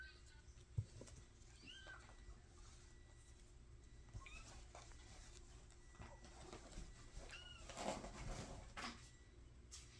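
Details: Mashka's kittens, five weeks old, giving soft high mews: three or four brief curved calls spaced a few seconds apart, quiet against a low room hum and occasional rustling knocks.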